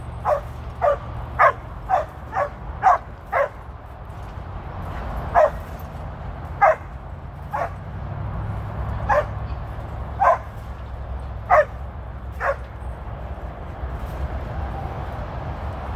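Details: Border Collie Tir, a 13-year-old female, on her first run with sheep in Long Beach, California; quick bursts of sharp barks early, then single barks spaced a second or more apart, with low engine-like rumble underneath.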